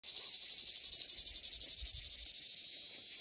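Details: Cicada song: a loud, high, buzzy pulsed trill repeated about four times per second, steady for over two seconds, then fading into a continuous hiss.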